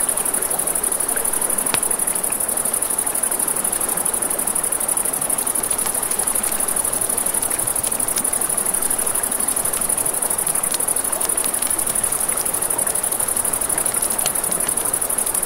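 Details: Crickets at night by a river, a steady high continuous trill running through the whole stretch, over the rushing hiss of flowing water and sharp crackles and pops from a campfire.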